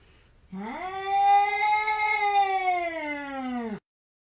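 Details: One long meow from a cat indoors, rising at the start, holding steady and bright for about three seconds, then falling off sharply.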